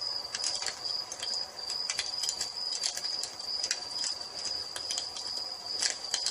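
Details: Crickets at dusk in evening nature ambience by a fireplace: a steady, high, continuous trill holds throughout, broken by sharp, irregular crackles and pops from the fire.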